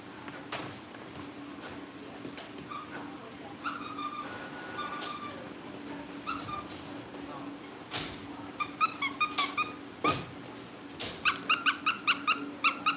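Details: Cavalier King Charles Spaniel puppies kept indoors in a family home ahead of pick-up by new families, giving high squeaky yips, sparse at first then quick bursts of five or six near the end, over a steady low indoor hum.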